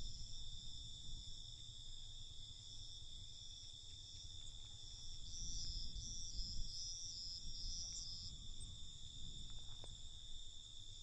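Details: Crickets at night: a steady, unbroken high trilling in several layered pitches, with a brief brighter pulsing trill joining midway, over a low background rumble.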